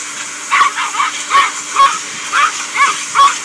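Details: Male Yorkshire Terrier indoors, barking agitatedly at a vacuum or computer as dust is blown out. Quick, high yappy barks come about twice a second over a steady hiss.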